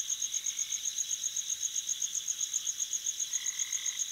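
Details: Crickets chirp on a summer night at a lake in the upper Midwest (Minnesota/Michigan), a steady high trill of about four pulses a second over a fainter chorus band, with a brief higher-pitched tone near the end.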